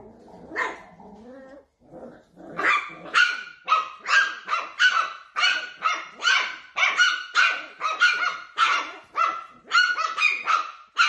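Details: Wiener dog, a Dachshund, barking in a fast, uneven run of sharp, high barks that keeps going almost without pause, with a brief whine near the start.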